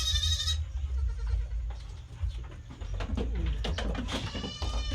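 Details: Farm-kept domestic goat giving one short nasal bleat at the start, followed by a run of clicking, rustling and knocking sounds over a constant low rumble.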